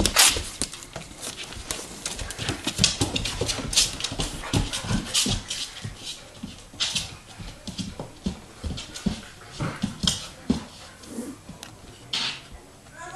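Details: Two Bernese Mountain Dogs, Chewy and Rocky, playing together: dense, rapid breathy panting and huffing, with scuffles, thumps and occasional short whimper-like sounds through the playful tussle.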